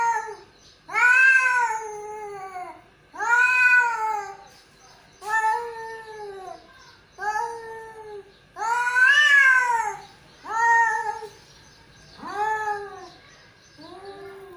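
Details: Two male cats caterwaul loudly, with about eight strong arched yowls, each roughly a second long, rising and falling, separated by short quiet gaps in a quiet indoor setting.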